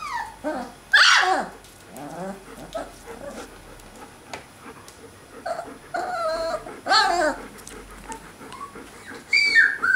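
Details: Alaskan Malamute puppies from a 2012 litter, out of the whelping box, give overlapping high whines and sharp yips in several bursts, some cries rising and falling, with rustling and shuffling between them.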